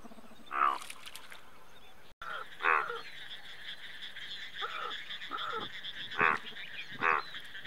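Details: Indian bullfrog giving short, harsh, pulsed croaks, six in under eight seconds, each a gruff burst, against a continuous higher droning chorus and faint background hum, with a brief dropout early on.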